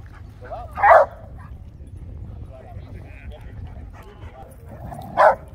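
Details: Dogs at an Old English Sheepdog get-together in Grape Street Park, South Park, San Diego, on a warm afternoon in the upper 70s, with Oliver, a groomed 1.5-year-old Sheepadoodle, excited; two short, sharp barks about four seconds apart over outdoor rumble and faint voices.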